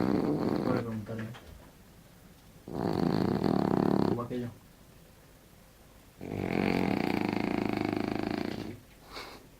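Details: Winston, a French bulldog, snoring in three long, rough breaths spaced a few seconds apart. Each one is a buzzy, rattling rasp that swells and fades, with quiet gaps between.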